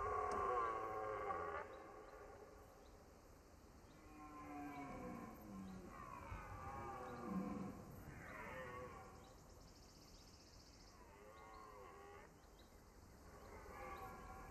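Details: A young red deer stag arriving in the autumn rut in the Compiègne forest, France, roars in a series of strained, fairly high-pitched bellows, lacking the deep voice of older stags.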